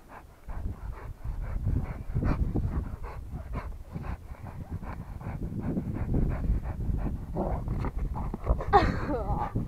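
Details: Rottweiler panting in a fast, even rhythm of roughly four breaths a second, with a brief whimper-like squeak near the close.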